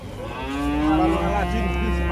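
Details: Very thin, bony cattle in a stall; a loud low moo, steady and droning for about two seconds, with a faint higher tone sliding upward in the middle and people talking nearby.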